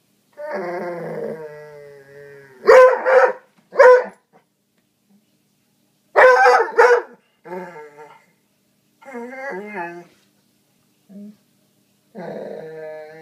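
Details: Foxhound/springer spaniel mix dog confronting a couch: a sustained moaning growl, then clusters of two or three sharp barks, with shorter grumbling growls and yips scattered between and another long growl at the end.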